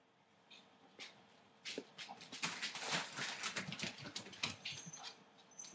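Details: Eight-week-old Entlebucher Mountain Dog puppies from the litter of Aisha Princess of Beauty (Shadow) and Falk vom Kornried, born 28 December 2013, giving a rapid run of soft whimpers and short yips that grow busier partway through.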